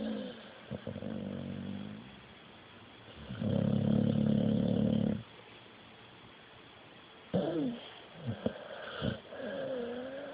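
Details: Sleeping puppy snoring, recorded on a phone: long, low, rumbling breaths of about two seconds each, separated by quiet pauses, followed by a few short snorts and sniffs.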